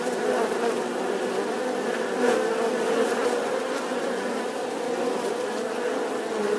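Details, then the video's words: Steady droning buzz of a bee, a humming tone with faint pitch wobble and layered harmonics, constant throughout with a short click early on. "Tiếng kêu của con Ong || The sound and picture of the Bee"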